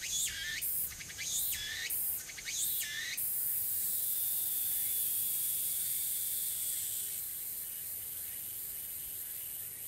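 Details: Tsukutsuku-boshi cicada on Tanegashima, Japan, early autumn afternoon 2022: three quick rising buzzy phrases in the first three seconds, then the singer falls silent, leaving only a faint high hiss of distant insects.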